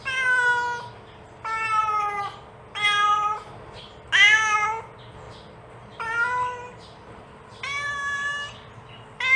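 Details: Domestic cat mother calling her kitten with rapid, insistent meows: seven harmonic calls at about one-second intervals, some long and flat, one bright and rising, with steady low hum behind.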